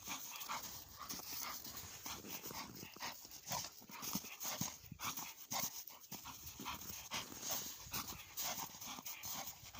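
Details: Exhausted Bull Terrier after a play session, quick airy panting repeating about twice per second, hoarse breaths rising and falling in loudness.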